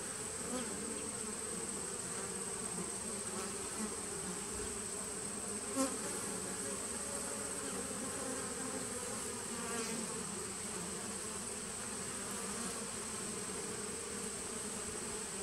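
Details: Bees from a 2017 nuc colony, recorded 19 September 2018: a steady, dense droning hum that holds level throughout, with a thin high whine running over it and a single brief click near the middle.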